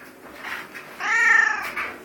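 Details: Domestic cat that had been stuck in a tree, talking back to its owner; one drawn-out, strongly harmonic meow rising and falling, with a person's voice saying bye just before and after.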